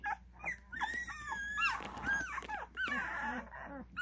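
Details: Cane Corso puppies aged twelve days, at a kennel, whine in a dense chorus of curving, high-pitched cries, several pups calling at once.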